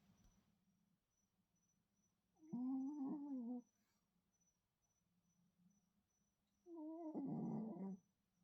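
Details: A sleeping Shih Tzu snores soundly next to a rescued feral cat, giving two drawn-out, buzzy nasal snores of about a second each, roughly four seconds apart, with soft low breathing between and a faint high hum in the background.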